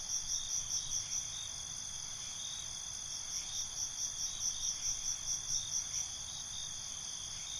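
Crickets chirp steadily at night, high pulsing trills overlapping in a continuous chorus.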